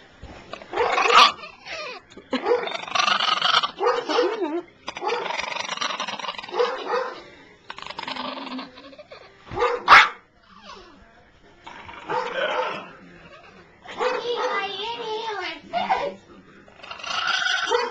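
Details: Pepena, a three-year-old Chihuahua that dislikes the owner's sister but loves everyone else, lets out bursts of harsh, snarling barks and growls, several seconds each and separated by short pauses, with faint human voices between them.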